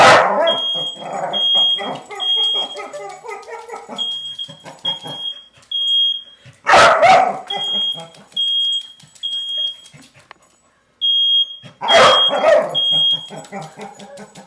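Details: Coco, a pet dog set off by a smoke alarm, gives loud sharp barks spaced several seconds apart, with softer whimpering sounds between, over steady shrill repeated alarm beeps.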